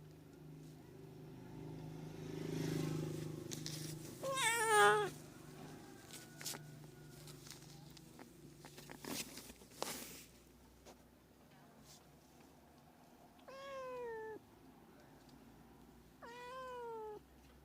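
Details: Cat meows meant to lure cats: a warbling wavering meow early on amid rustling and clicks, then two short rising-falling meows near the end.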